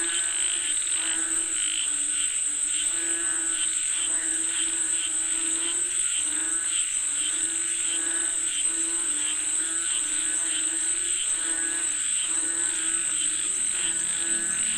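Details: Many frogs croaking together in a rain-calling chorus, rhythmic pulsing calls repeated roughly every second beneath a steady piercing high drone.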